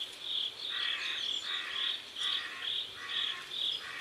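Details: Crickets calling by a South Korean river at sunset: bright chirps around twice a second overlap lower, raspier pulses from a second caller, forming a close, rhythmic chorus.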